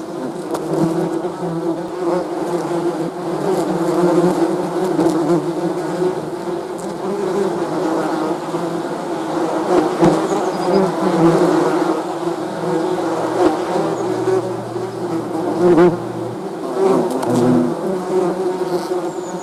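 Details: Steady hum of many honey bees, a layered drone with passing louder buzzes and occasional brief deeper tones, continuous for the whole stretch.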